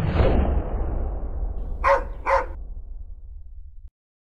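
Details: Police dog at the 2009 Invictus Law Dog Conference in Las Vegas, Nevada, during a demonstration of control around distraction; a loud rumbling whoosh fades, then two short, sharp barks come about half a second apart before sudden silence.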